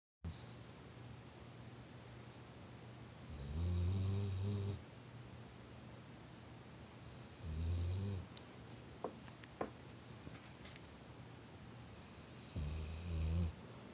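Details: Pet dog named Shannon snoring while asleep: three low, rumbling snores, each about a second long and spaced roughly four seconds apart, with faint soft clicks in the quiet gaps.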